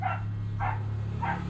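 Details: Neighbouring dogs barking outside, noise that keeps a puppy from sleeping: three muffled barks, evenly spaced about half a second apart, over a constant low electrical hum.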